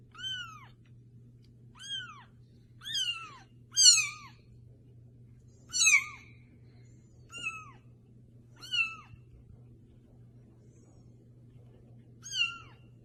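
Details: Kittens mewing: thin, high-pitched meows, each a short arched call that rises then falls, repeated roughly every one to two seconds, some louder and strained, over a steady low hum.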